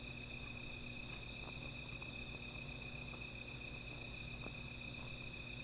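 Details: Small fire at night with an insect chorus: a constant high ringing trill plus faint ticking crackles roughly every second and a soft low hum underneath.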